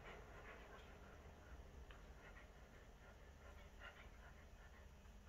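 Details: Shih Tzu × Corgi mix dog panting while fighting a toy shark: quick, breathy, rhythmic puffs follow one another steadily, about three a second, over a continuous low rumble and hiss.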